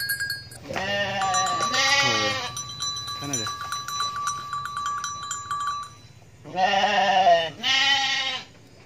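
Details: A goat scratching its back bleats in loud, wavering bursts, with a steady metallic ringing tone between calls.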